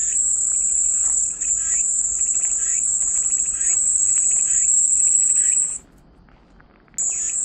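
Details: Cicada chorus heard as soothing white noise: an intense high, even buzz for nearly six seconds with faint pulsing chirps below, then about a second of near silence before the buzz resumes just as abruptly.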